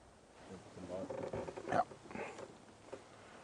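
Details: A young lioness just over 3 years old, on safari in windy, blustery evening weather, gives low, moaning, drawn-out, throaty contact calls toward other lionesses of her pride, possibly in false oestrus, with a man talking nearby.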